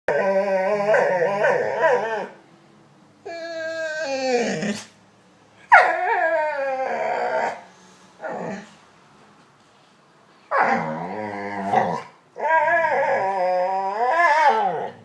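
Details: Dog vocalizing in a talk-like manner. Long wavering howls and whines sweep up and down in pitch, voiced in bursts of one to three seconds separated by silent pauses.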